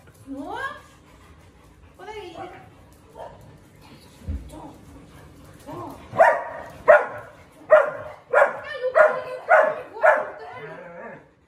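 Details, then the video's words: Morning howling from a Siberian Husky at home amid household commotion: a few rising, sliding wails open, then a rapid series of loud, roughly evenly spaced howl-barks, with human voices in the background. "Husky howling total caos in the house"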